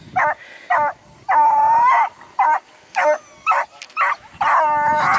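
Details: A small female Beagle barks at a Redbone or Bluetick Coonhound that ignores her, near Kingston, Ontario, Canada; loud, yappy barks and drawn-out howling yelps, about eight in five seconds.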